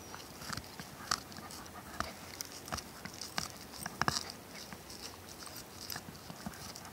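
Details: Ronin, a Shiba Inu / Schipperke dog, chewing on a tennis ball indoors: irregular sharp clicks, squeaks and crunches, several per second, some louder bursts near the middle, over a low steady room hiss.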